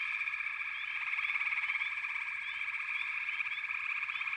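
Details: Frog chorus from a backwater: dense, continuous trilling from many callers blends into a steady buzzing wall, with short rising chirps scattered through it.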